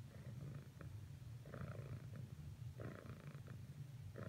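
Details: Domestic cat named Cricket purring while trying to cuddle with another cat, Whisper, after earlier failed attempts; steady low continuous rumble throughout, with soft brief higher rustling sounds at intervals.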